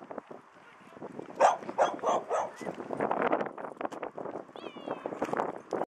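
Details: Dog playing at a dog park, giving a run of short, sharp, noisy barks and yelps in quick bursts, with a brief thin whine near the end.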